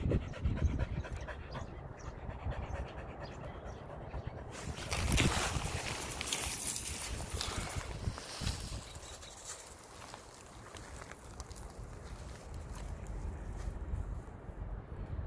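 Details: A Border Collie named Eli pants rapidly between frisbee throws: quick low huffing breaths at first and again at the end, broken midway by a burst of loud rushing noise.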